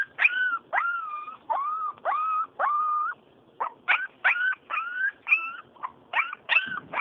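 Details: Full-blooded Siberian Husky puppy, four weeks old, gives a run of high whistled whines, some falling and some rising, with short gaps, after one pause of about a second; a person talks soothingly around it.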